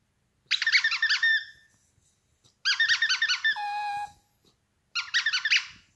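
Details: Yorkshire terrier indoors giving three bursts of high, squeaky, harmonic whines, each a rapid wavering series lasting about a second, one ending in a held thin whistle.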